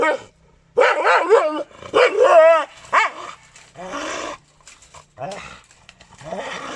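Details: Aggressive Gultair dog breed in Pakistan barking loudly: harsh, wavering harmonic barks in clusters, some drawn out almost into a short howl, separated by brief silences, with faint voices in the background.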